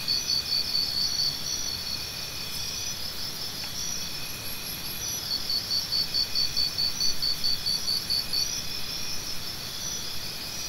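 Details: Crickets chirping, offered as natural sound therapy for tinnitus relief: a steady high pulsed trilling chorus with a louder nearby chirp repeated about twice per second over a constant insect hum, plus faint higher buzzy trills.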